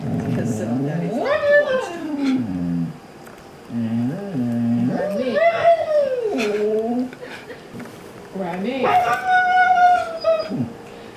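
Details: Siberian Husky reacting to dog videos indoors, giving three separate howling, talking bursts: each swoops upward then slides down into lower wavering notes, the last rising highest and held longest, with pauses and a person's voice between.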